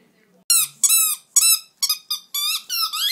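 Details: Miniature Dachshunds Blenheim and Jetson kept as pets indoors: after a brief quiet start, about eight high, thin squeaking whines follow in quick succession, each bending up then down, in a small room.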